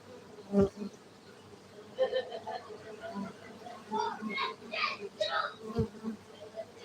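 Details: Honey bees at a beekeeping centre in Gayo, Aceh, Indonesia: a steady low droning hum runs throughout, overlaid by scattered sharper bursts and clattering sounds, with a louder cluster of noises near the end.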